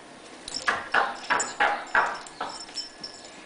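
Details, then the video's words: Rhodesian Ridgeback named Riv, a pet dog excited about his daily walk, giving a rapid series of high, yelping whines, about six sharp cries roughly every third of a second, fading toward the end. "Riv the Ridgeback goes apeshit about his daily walk"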